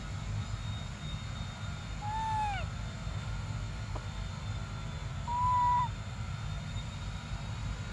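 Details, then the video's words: Baby monkey named Briar crying for milk during a standoff: a tonal, harmonic cry that falls in pitch, then a second, steadier drawn-out note several seconds later, over constant low rumbling background noise. "Desperate Baby Briar Cries For Milk"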